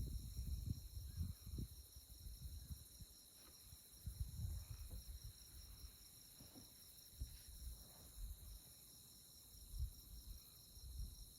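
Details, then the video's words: Night insect chorus in Kansas tallgrass prairie at Konza Prairie under moonlight; continuous shrill pulsed trilling held at an even pitch, with gusty low rumble of wind beneath. "Insect Chirping Sounds"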